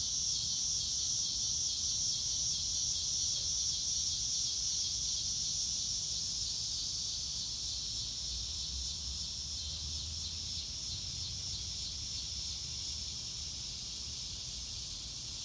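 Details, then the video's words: High, rapid cricket chirps pulse in an even, regular run over a dense insect hum, recorded outdoors in grass under a blue sky. The pulsing is clearest early and then fades into the continuous buzz, with a faint low rumble. "Nature Sounds - Real Time - No Music - Meditation - Crickets"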